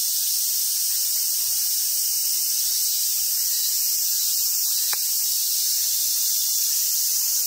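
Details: High, seething buzz of cicadas on a summer day at Awaji Island Monkey Center, Hyogo, Japan, where wild Japanese macaques spend the day; the drone stays level, broken only by one sharp click near the end.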